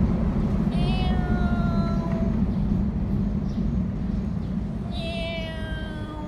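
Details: Domestic cats recorded on 15/06/2018 around mealtime: two drawn-out, harmonically rich meows, each sliding downward over about a second, separated by a pause of roughly three seconds, over a steady low rumble of background traffic.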